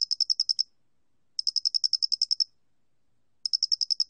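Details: Angle-headed cricket recorded by Korea's National Institute of Biological Resources in 2020: bright, high, evenly pulsed chirp trains of about ten rapid notes each, separated by short silences, with no other sounds.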